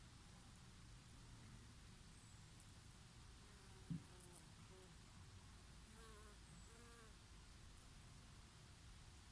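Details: Honey bees foraging on oregano flowers in summer, in a summer breeze: a steady low hum, with a couple of brief, rising-and-falling buzzy passes around the middle as bees fly close, over soft rustling wind.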